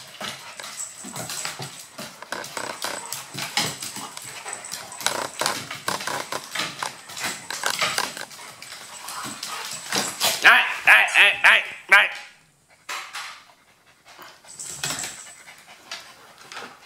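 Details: Dogs playing together indoors, a Maltese, a Golden Retriever and a Husky-German Shepherd mix: rapid breathy panting pulses about twice a second for ten seconds, then a brief louder huffing burst, a pause and a quieter spell.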